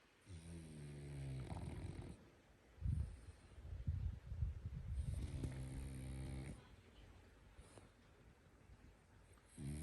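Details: Sleeping French Bulldog snoring: low, rumbling harmonic breaths drawn out over a second or two, with rougher, noisier snorts in between, repeating roughly once a second in an uneven rhythm.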